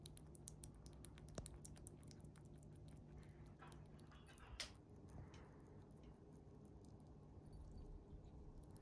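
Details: A pet chipmunk eats its favourite jelly, a small-animal food, indoors. Quiet, rapid, crisp clicking and smacking chews come in irregular bursts, with one louder snap midway, over a steady low hum.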